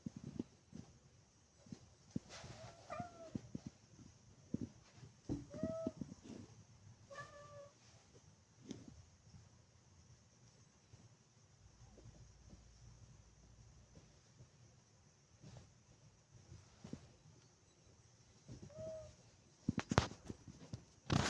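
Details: Maine Coon cats bird watching from a window indoors; several brief, chirping meows scattered across the stretch, mixed with thumps, clatter and low room rumble.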